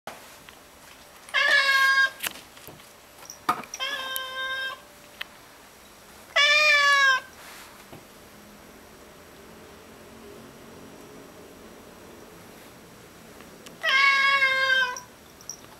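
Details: Indoor cat meowing because it wants a bug on the ceiling: four loud, harmonic, slightly falling meows spaced irregularly over about fifteen seconds, with quiet room noise between them.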